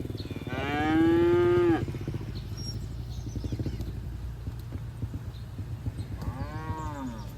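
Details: Herd of cattle feeding on grass in a green field; a loud, steady moo of over a second, then a second arching, rising-and-falling moo several seconds later, with a continuous low hum behind.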